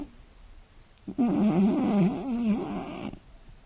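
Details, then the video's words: A sleeping Scottish Fold cat gives one long, wavering, buzzy snore of about two seconds at night in a quiet room. The breathy tone wobbles up and down. "【スコティッシュフォールド】猫のいびきが酷過ぎる！眠れない一夜 爆音＆騒音！"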